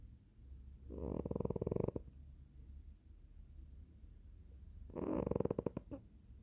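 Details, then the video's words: Cat asleep and snoring indoors, two rattling, fluttering low snores about four seconds apart, each roughly a second long with rapid pulsing texture, quiet background between breaths. "猫がいびきをかく cat snoring 고양이가 코를 골다"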